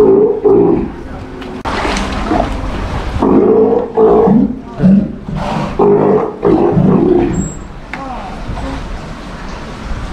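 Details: Steller sea lion pup held at an aquarium in Japan (Ise Sea Paradise), heard during training so it stops biting: uneven, throaty, harmonic bursts separated by pauses, fading toward the end, with people speaking nearby.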